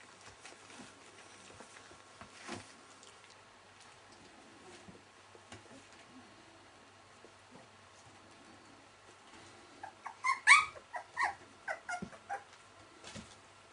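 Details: Nineteen-day-old Welsh Springer Spaniel puppies: ten seconds of quiet rustling, then a sudden burst of high-pitched squeals and whimpers that trails off into shorter, fainter squeaks.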